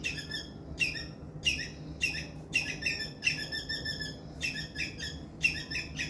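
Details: Squirrel making a loud distress call to draw in adult squirrels: pulsed, buzzy high chirps in short bursts roughly every half second, one longer chattering run in the middle, soft hum beneath.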